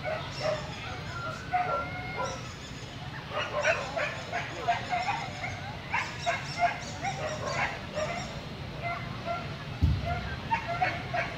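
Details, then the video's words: Corgi at a dog show in Vietnam, giving short, sharp barks and yips in quick irregular bursts, some nearly a second apart, over a steady hum of crowd chatter and voices. "Corgi - vietnam dogshow"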